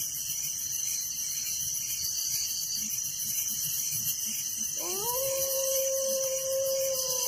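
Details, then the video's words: Village crickets at night sustain a constant high, buzzy trilling chorus, while a dog breaks in halfway with a rising, drawn-out howl that holds steady to the end. "Relaxing Night Crickets Sound in Village"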